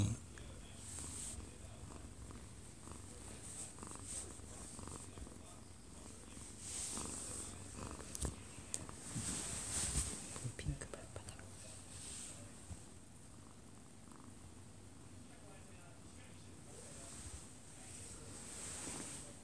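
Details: Close-up purring of a one-year-two-month-old odd-eyed Munchkin cat sleeping in a man's arms indoors: a sustained low throbbing rumble, with occasional rustling, a television in the background and brief soft speech.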